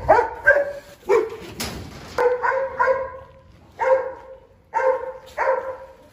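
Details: Presa Canario named Xiuluo, chained up while eating a plate of chicken racks and aggressively guarding its food: short, sharp barks in quick clusters, about eight over six seconds, with brief quiet gaps between bursts.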